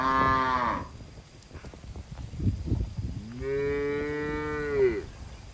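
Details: Cattle being herded through woodland to their shed, jumping happily; a short moo opens, then after a pause with scattered thuds comes a long, steady, level moo lasting over a second.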